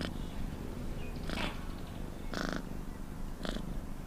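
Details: A cat purrs with a continuous deep drone, swelling into a rasping surge roughly once a second.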